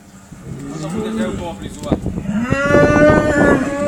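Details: Cow near a Rhodesian Ridgeback, starting with low murmurs before a rising moo that swells and holds loud to the end of the short stretch.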